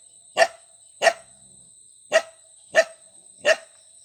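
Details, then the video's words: Dog barking five times in about four seconds, each bark a short, punchy burst with a clear mid-pitched core, spaced fairly evenly. A steady high electronic tone sits beneath. "Dog Sound, Dog barking, bog bog bog"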